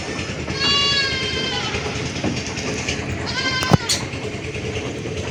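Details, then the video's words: Goat giving high, thin, sustained bleats, one long cry near one second and a second, shorter one at three and a half seconds, with a sharp click and a constant rumbling background. "Goat Sounds & Goat Pictures 2023 ~ The Sound A Goat Makes"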